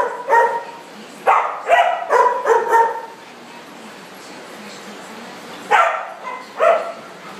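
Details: Dogs at play in a large dog party room give bursts of harsh barks, a few clustered together, then a long quiet stretch of room hiss before two more barks.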